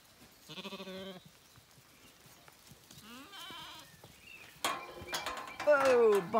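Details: Zwartbles ewes and lambs sharing a last breakfast before weaning on a County Kilkenny farm in Ireland, herded out of the field: two quavering, tremulous bleats early on, then a person calling and louder bleating mixed with handling noise.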